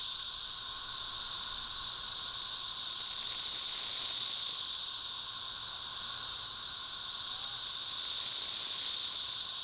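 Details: Swarming 13-year cicadas by the thousands fill a back yard with an unbroken, piercing, hiss-like chorus that rises and falls gently over ten seconds, over a softer lower hum.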